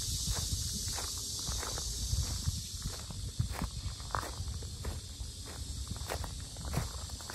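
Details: Cicadas at the Sinjeongho lotus park in Asan, Korea, very loud: a steady, dense high-pitched buzzing drone runs unbroken through the whole stretch, over crunching footsteps of someone walking along the path.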